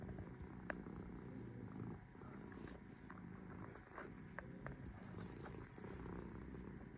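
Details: Sora, a resting cat, gives a steady low purr, a soft rhythmic rumble with slight swells, punctuated by a few faint clicks and taps.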